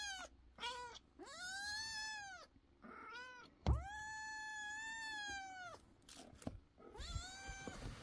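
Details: Several kittens meowing loudly, short and long arching calls overlapping, one long sustained meow in the middle, a brief knock or thump heard partway through.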